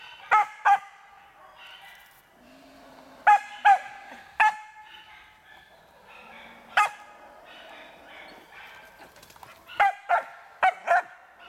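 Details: Irbis, a Karelo-Finnish Laika, barks during training on a marten. Sharp, ringing barks come mostly in quick pairs, about a dozen over the stretch, separated by quiet gaps with faint rustling and a low murmur.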